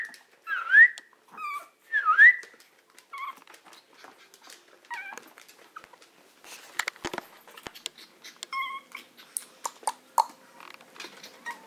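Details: A Maltese dog wanting to be let out gives two loud, high, rising whines close together near the start. Softer scattered squeaks, clicks and small scuffling sounds follow in a small room.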